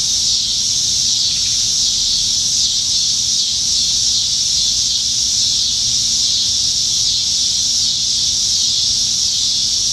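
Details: Cicadas singing up in the trees on a summer evening in Nebraska, July 2019, during the dog days when they are plentiful; a dense, steady, hissing buzz without pause, with a faint low hum underneath.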